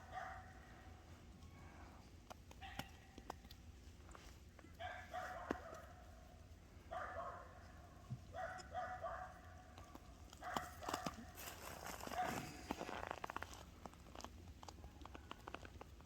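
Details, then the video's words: Boer goat kids seven days old, playing excitedly while the mother watches from a distance; several short nasal bleats around two, five, eight and ten seconds, with rustling and faint background noise. "아기 염소 7일째 Boer goat kids 7th day"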